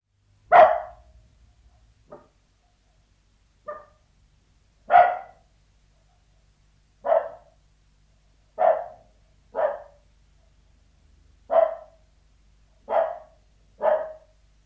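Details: Sealyham Terrier barking behind a door indoors: about ten short, sharp barks spread unevenly across the stretch, some loud and some faint, with quiet gaps between them and no other sounds.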